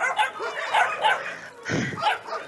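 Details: Puppies at a volunteer-run no-kill animal shelter in Russia as cold weather sets in, giving a run of high, wavering whining yelps in short bursts over about two seconds, with a lower thud near the end.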